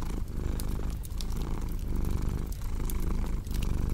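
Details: Domestic cat purring beside a crackling fireplace: a steady low rumbling drone with faint rhythmic swells, overlaid by sharp pops and snaps from burning wood.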